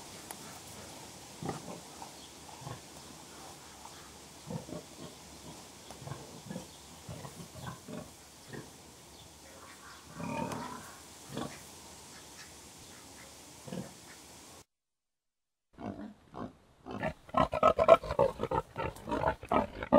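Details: Contented pigs grunting softly in a barnyard, short low grunts repeating several times a second, with a rougher squeal-like burst near the middle; after a brief silence, louder, sharper grunts come in quick succession.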